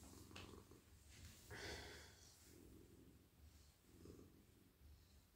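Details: Male house cat, very friendly and silky, lying in a lap being petted on head, neck and whole body at night; continuous low purr in breathing pulses, with a burst of rustling fur and hand strokes partway through.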